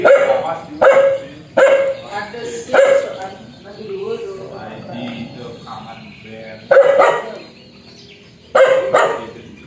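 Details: Aggressive, fierce dog letting out a rapid run of four hard barks, then a lull of low growly noise, then two more forceful barks spaced apart.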